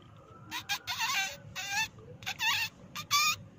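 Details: Short, shrill mouse squeaks in about six quick bursts over three seconds, some with wavering, chirping pitch, against a faint low hiss; presented as a call to lure mice out of their nests.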